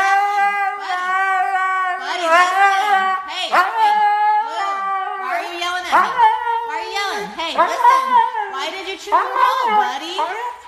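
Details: Indoors, a husky gives a talkative whining reply about a chewed remote. Rapid, sliding, yodel-like phrases come several times per second, with pitch bends and brief dips in a near-continuous vocal stream.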